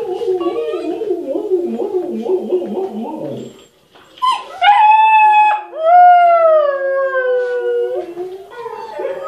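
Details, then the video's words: Howling Siberian Huskies that a husky puppy, Maša, reacts to: a wavering, murmuring vocal passage opens, then after a short pause comes a sustained tone that starts higher and slides gently downward, followed by a fainter closing note. "Husky watching other huskies howl"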